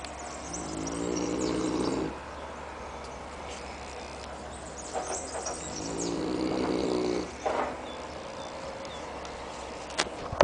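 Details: Annibale, a Neapolitan Mastiff, asleep in Capaccio, province of Salerno, Italy, snoring heavily: two long, rattling, low rumbles about five seconds apart, each lasting near two seconds, with soft breathing between and a faint click near the end.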